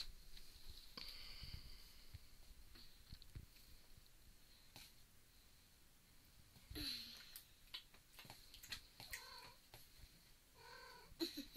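Maine Coon kittens give short, thin meows amid a steady high whine and soft background noise.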